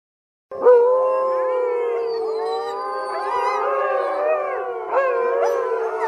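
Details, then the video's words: Wolves howling together in a dense chorus of overlapping, wavering tones. Several voices rise and fall against one another without pause, and fresh howls break in near the start and again around five seconds. "Wolf Howling"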